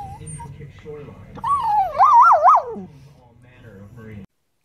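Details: Poodle howling: one wavering, yodel-like tone that rises and warbles up and down for about a second and a half, then drops away. Faint human voices murmur before and after.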